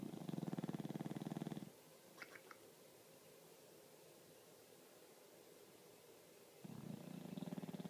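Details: Snoring English Bulldog, two low vibrating rattly snores separated by about five seconds of near silence with a few faint ticks.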